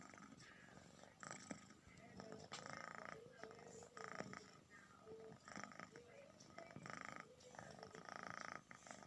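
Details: Sleeping cat snoring with rhythmic, noisy, breathy pulses roughly every second or two, each a brief rasp; a low steady hum runs underneath throughout.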